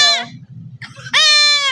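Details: Male goat bleating while being castrated: a brief loud harmonic bleat, a pause filled with low background hum and muffled sounds, then a long, strained, wavering bleat that holds steady before easing off.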